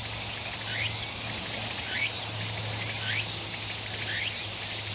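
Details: Tsukutsukuboshi cicada singing: an unbroken high shrill drone, overlaid by brief upward-sliding chirps roughly once a second, with a faint low hum beneath.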